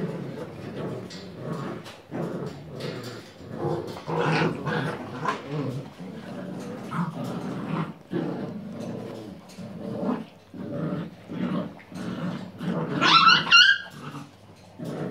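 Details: Puppies at play at the Viersenhoeve, 6 January 2016, growling in low rough bursts with short whimpers and a high yelp near the end, scuffling throughout, human voices faint in the background.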